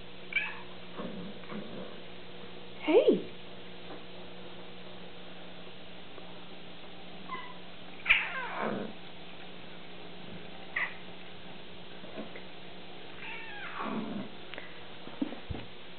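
A Bengal cat gives angry, drawn-out growling yowls in a few separate bursts.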